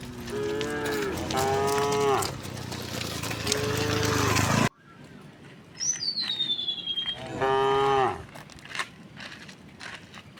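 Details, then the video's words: Tame cows walking cheerfully to a wide field on a calm morning; several moos over a loud rushing background that suddenly cuts out, then a single clear moo after a high falling bird whistle. "the sound of cows"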